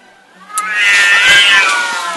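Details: Two pet cats brawling in front of a house in the middle of the night; a loud, drawn-out wavering yowl swells and holds, rich in harmonics, after a sharp click.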